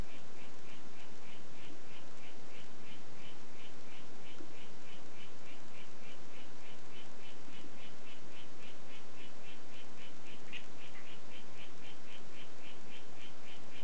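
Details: Harlequin poison frog of the White Footed form gives a long, even train of brief high-pitched buzzy notes, roughly three per second, continuing steadily above constant background hiss.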